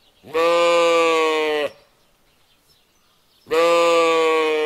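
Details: Lamb bleating twice, each call a steady harmonic-rich baa lasting over a second, separated by about two seconds of quiet.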